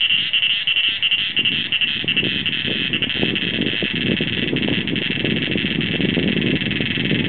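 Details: A cicada (possibly Meimuna opalifera) sings in front of a house at Doi Inthanon, Thailand; a steady, shrill, high-pitched buzz that pulses briefly at first, then runs unbroken.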